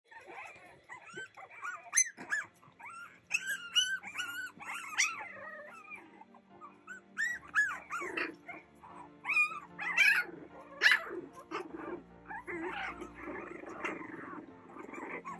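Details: Boston Terrier puppies playing together, giving a busy run of high, squeaky yips and whiny, arching calls that overlap and come in bursts, some sharper cries near the end, with soft music running steadily underneath.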